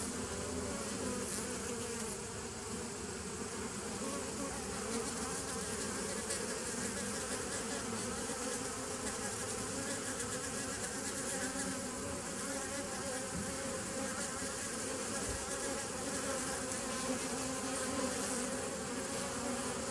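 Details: Bees recorded on 27 September 2018, a dense, steady hum of many wings with low droning bands and a hissy upper wash, unbroken for the whole stretch.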